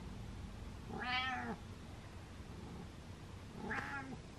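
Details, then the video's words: Pet cat indoors demanding attention with two separate meows, the first longer and wavering, the second shorter, a quiet gap between them and steady low room hum. "Meowing Cat Likes To Be Center Of Attention"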